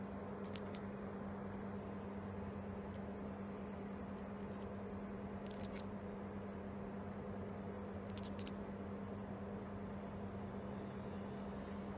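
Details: Steady broadband hiss with a low constant hum and a few faint brief clicks, no animal voice heard.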